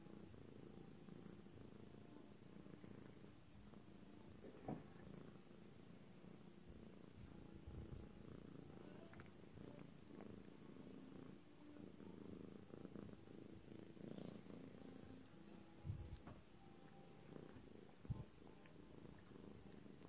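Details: A lilac British Shorthair cat purrs steadily, a low continuous rumble with a few soft clicks.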